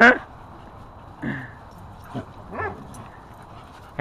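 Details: Dogs at Happy Puppy Park playing with a newly installed tetherball; short, harmonic barks burst out roughly every one to one and a half seconds, with a person's voice nearby and a busy background.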